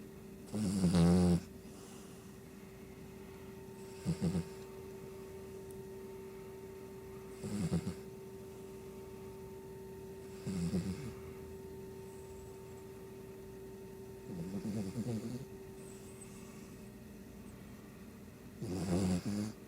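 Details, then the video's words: Asleep, a Shih Tzu gives six short rasping snores, roughly every three seconds, each a brief rumbling burst over a faint constant hum. "Shih Tzu snoring"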